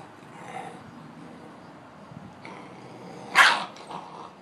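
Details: Boxer dogs, two of them, playing together. A single sharp, loud bark cuts through quiet surroundings about three seconds in, followed by a softer huff; faint low rumbling sits underneath.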